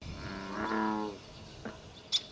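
An American bullfrog gives a deep, resonant, droning call lasting under a second.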